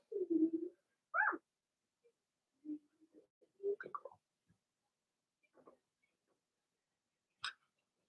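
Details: Cavalier King Charles Spaniel puppies of Blenheim colour, living in an indoor puppy pen, let out a low moan, then a sharp rising squeaky whine, scattered soft grunts and one thin high yelp near the end.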